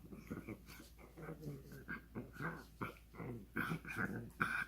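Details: Ronja, a pug, makes funny noises: a quick, irregular string of low grunting and growly snorts, more than two per second, with some louder bursts toward the end.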